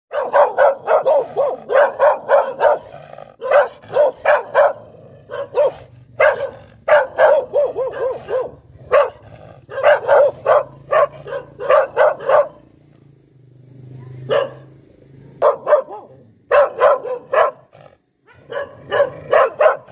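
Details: Poodle barking: sharp, loud barks fired in quick runs of several at a time, a quieter stretch in the middle with a single soft yip, then more rapid bursts of barking to the end.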